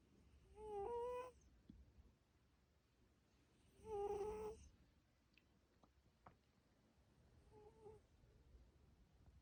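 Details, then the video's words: Snoring from the pet cat Coco: two clear whistling breaths about three seconds apart, each a wavering tone, followed by a fainter third one. Small clicks sound in the quiet gaps. "고양이 코골이 휘융휘융"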